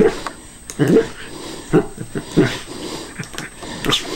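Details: A Cairn Terrier cautiously attacking a callus remover that is switched off gives short, sharp barks in quick bursts, with a human voice faintly in the background.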